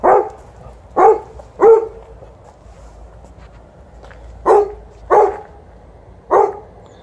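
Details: Pre-walk excitement from an Alaskan Malamute and a Golden Retriever: three barks in quick succession, a gap of two seconds, then three more evenly spaced barks, a faint human voice between them.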